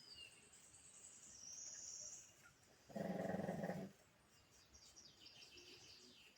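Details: A sleeping pug gives one rough, rattling snore lasting about a second, surrounded by quieter breathing, with faint high chirping sounds in the background before and after.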